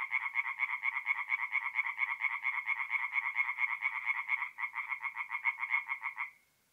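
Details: Tree frogs calling at night from a forest pond in north-east Italy in mid-April; rapid pulsed croaks about twice a second, a brief dip near the end, then the chorus stops abruptly into silence.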